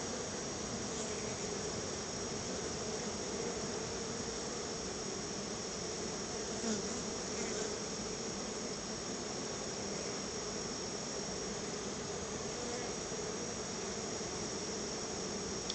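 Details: Many honey bees gather at their home hive while being gifted a treat of purchased honey, a little at a time. Their constant, even buzzing drone fills the whole stretch, with a few faint ticks but no breaks.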